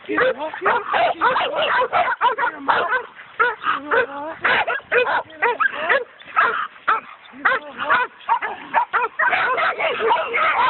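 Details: Coon dogs working a raccoon, several hounds barking and bawling almost nonstop, some notes drawn out and wavering, the bursts tumbling over one another at roughly two per second with only brief breaks.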